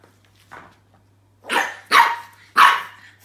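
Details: French Bulldog puppy Roscoe, indoors, barking at a new toy he is unsure about: a soft yelp followed by three loud, sharp barks in quick succession, about half a second apart.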